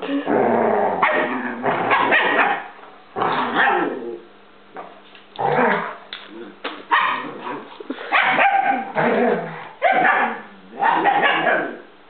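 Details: A German Shepherd and a Basset-Lab mix play together as pets, the mix teasing the Shepherd. Rough, harsh barks and growls come in clustered bursts with brief quiet gaps across the stretch.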